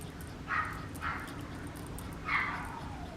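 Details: Papillon puppy giving three short, high-pitched yips, two close together and one after a pause, over a low steady background hum indoors.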